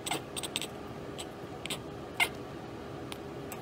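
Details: Cat chattering at a bird or insect it cannot get to: soft, dry clicking ticks scattered irregularly, one sharper click standing out, against a faint hiss of room noise.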